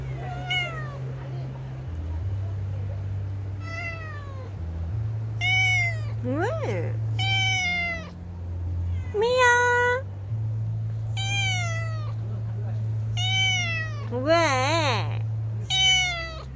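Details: House cat calling repeatedly, about a dozen meows across sixteen seconds, mostly falling in pitch, some wavering and bent, one quivering trill-like call near the end, with a constant low electrical hum beneath and occasional human voice.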